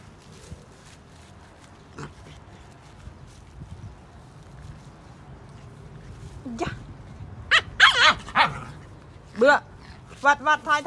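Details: Big white puppies playing with dogs: after about six quiet seconds of low background noise, a burst of high, whiny yelps and short barks breaks out, several sharp cries in quick succession with a wavering whimper near the end.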